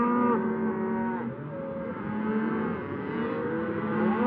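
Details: A herd of cows lowing on pasture, a steady wall of overlapping deep moos, some held flat and others gently rising, with no break across the short stretch.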